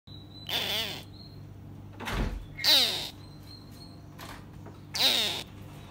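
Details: A two-week-old false gharial gives brief, raspy chirping grunts that slide downward, three of them about two seconds apart, with a dull thump between calls over a faint steady high whine.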